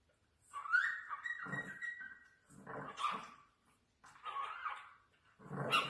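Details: Chihuahua puppies indoors: a high whining whimper sliding downward, then short harsh yapping barks in bursts about a second apart, with a final sharp bark at the end.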